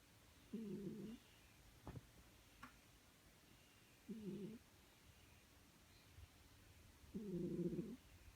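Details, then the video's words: Sleeping pet cat snoring: low, rough breathing bursts of about half a second, repeating roughly every three seconds, the last one longer and louder, over a quiet indoor background with a couple of faint clicks. "My snoring cat"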